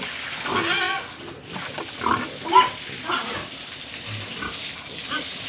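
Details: Pigs and piglets at a pig farm in Tripura, heard in a noisy pen: a harsh rising squeal, then short scattered grunts and squeaks, with a steady broadband hiss throughout.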